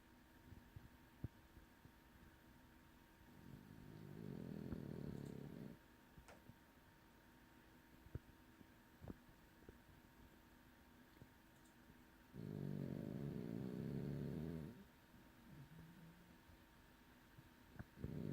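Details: French bulldog sleeping heavily indoors, giving two long, low rumbling snores about eight seconds apart, each a rattling, pulsed drone lasting over two seconds, with quiet room hum and faint ticks between them.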